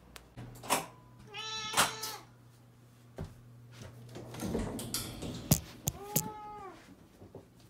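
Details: Domestic cat, 13-year-old Kirara, meowing to ask for food indoors; several harmonic meows, one long and wavering near the start and a clear arched one near the end, with clicks and soft rustling between calls and a steady low hum.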